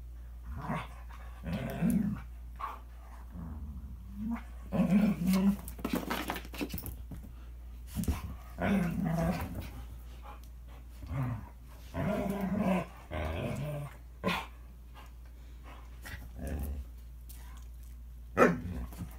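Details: Vicious fight between a Toy Manchester terrier and a Standard poodle: repeated rough snarling growls in short bursts across the recording, separated by scuffles and knocks, in a small indoor space.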